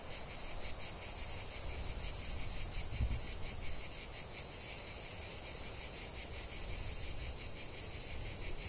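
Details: Chorus of cicadas singing together, a loud unbroken shrill buzz with regular rapid pulses and a weaker rasping band lower down; faint low background rumble, one brief thump near the middle.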